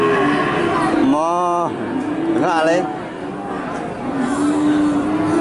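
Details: Cattle at a livestock market: two short, bending moos in quick succession, then a low drawn moan, set against constant background chatter of people.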